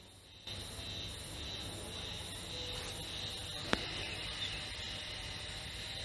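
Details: Spring cicada, or haruzemi, near Taka in northern Harima, Hyogo Prefecture, mid-May 2021, season's singing begun early May; an unbroken high-pitched ringing buzz holds throughout, with one sharp click partway.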